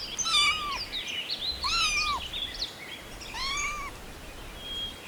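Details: Little kittens playing with pine cones on green grass outdoors; three high, arched meows, each rising then falling, spaced about a second and a half apart over a steady background hiss.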